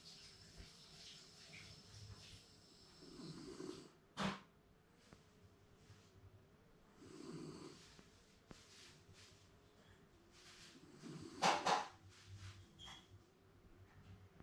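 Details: Shiba Inu napping comfortably indoors, apparently dreaming; soft, breathy snores come as low rasping swells roughly every four seconds, separated by quiet pauses with a few faint clicks and rustles.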